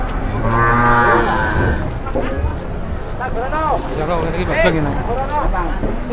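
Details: Cattle at the market for the first time, startled and raging; a loud bellowing moo opens, followed by rising and falling voices and chatter of people nearby.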